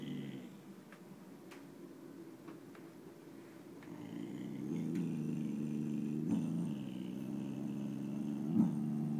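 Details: Chloe, a nine-month-old boxer puppy, growls at nothing out the window: a low, steady rumble that swells and grows louder through the second half, with a brief sharper rasp near the end.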